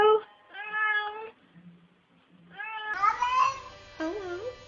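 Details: Domestic cat giving two steady, level meows, then louder, wavering, sliding calls over faint background music.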